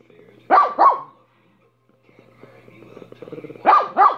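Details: Minnie the dog giving a quick double bark, falling quiet with faint low murmuring sounds, then barking twice more in a rapid pair.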